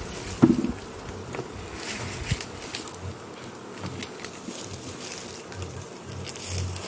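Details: Western honey bees (Apis mellifera) kept in Jambi during an acacia honey harvest, hive unharvested for three weeks; a steady low buzzing drone with scattered thumps and handling noises, a loud knock early on.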